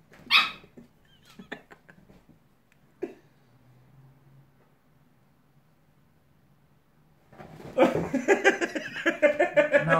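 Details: Fight between a pit bull and a West Highland White Terrier: scattered barks and yelps early, a quiet stretch, then from about seven seconds loud, dense snarling and growling in rapid harsh bursts.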